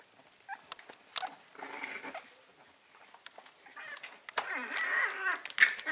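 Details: Staffordshire Bull Terrier puppies, called staffy or Stafford, five weeks old, recorded indoors on 16 April 2019; soft high whimpers and squeaky whines come in short uneven bursts, growing louder and more continuous toward the end.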